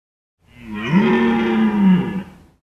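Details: A red deer stag gives a long, deep, throaty bellow during the March–April rut in the calden forest of Parque Luro reserve, La Pampa, Argentina.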